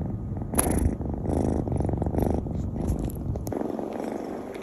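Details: Miyu, a four-month-old pet kitten, indoors at nap time after her morning play routine: a steady low rumbling purr in soft rapid pulses, fading toward the end, with a few faint clicks and household rustles.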